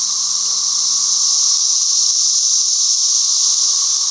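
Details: A continuous shrill buzz from cicadas emerging from holes in the ground, a dense, even, high whine with no pauses.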